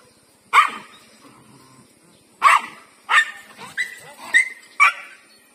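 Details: Lucky, a female pet dog, pursued by a big street dog she does not like: spaced sharp barks, then a quicker run of barks ending in a high whining yelp.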